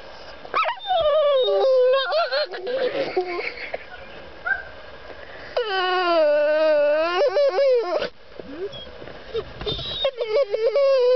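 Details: A female dog whines because she wants to get out of a truck: long high nasal whimpers with wavering, stacked harmonics, some sliding down then up, in bursts separated by short pauses.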